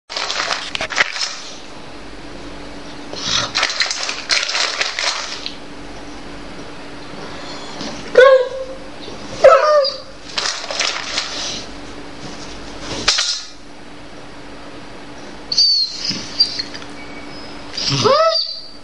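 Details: Jade, a female Dobermann, whines and complains because she does not want this dog food but a tastier one: thin, wavering high whimpers that bend up and down, broken by rustling and clattering noises between them.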